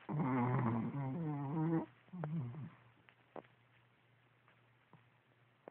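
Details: Pet dog asleep and snoring indoors: a loud, harmonic, groaning snore with stacked tones for nearly two seconds, a shorter rumbling breath after, then quiet with a few faint clicks.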